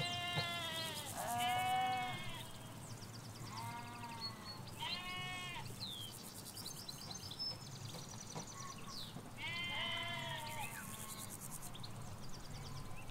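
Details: Ewes and lambs grazing in Hampshire fields, captured near a hedge: bursts of quavering bleats from several sheep at intervals, high tremulous lamb calls among them, with soft rural ambience and distant road rumble.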